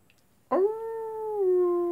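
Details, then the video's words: Wolf at night, a single howl starting abruptly, holding a smooth steady tone, then dipping slightly lower and sustaining. "wolves at night time"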